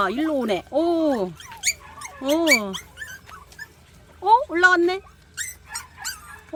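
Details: Three 40-day-old rural puppies wanting to climb stairs whimper in drawn-out, rising then falling whines, alternating with a person coaxing them and laughing.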